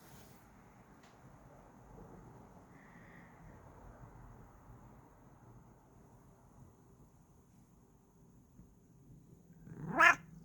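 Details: Kokoa, a pet cat, makes a cute mrrp when happy: after a long quiet stretch with a soft low rumble, one short voiced chirp with stacked harmonics comes near the end.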